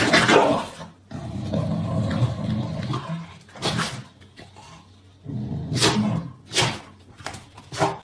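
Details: Pembroke Welsh Corgis squabbling, with a long low rumbling growl, then sudden loud barks and snaps in separate bursts spread over several seconds, with quiet gaps between them.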